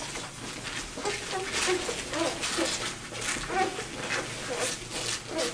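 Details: Two-day-old Vizsla puppy, one of a litter of seven, left behind while its siblings raced to their mother, complaining as it searches for a way back; faint, short high squeaks scattered among steady hiss and rustling.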